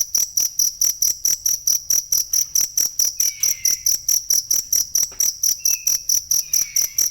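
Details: Cricket chirping, meant as masteran for training songbirds: piercing, evenly spaced high pulses in a constant rhythm, joined near the end by brief falling whistles.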